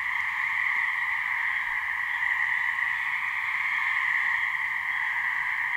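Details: Two or so gray treefrogs (Hyla versicolor) in a New Hampshire swamp give mating calls, steady blended buzzing trills at an even level throughout, with light low-pitched background hum.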